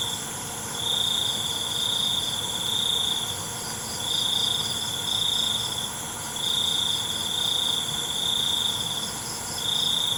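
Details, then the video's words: High, buzzy cricket trills at night, coming in bursts of one to two seconds separated by short silences and repeated through the clip. A steady whining insect chorus fills the background. "ALUNAN CENGKERIK MALAM"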